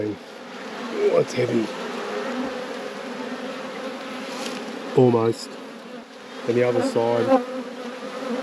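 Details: Honey bees of an apiary hive under inspection, a continuous low buzzing drone holding steady throughout, with short bursts of human speech around the fifth and seventh seconds.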